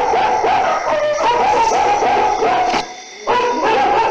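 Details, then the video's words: Dogs barking at night in a dense, overlapping run of quick barks with a brief pause near the end before the barking resumes; a steady high-pitched drone runs underneath. "DOGS BARKING DURING NIGHT"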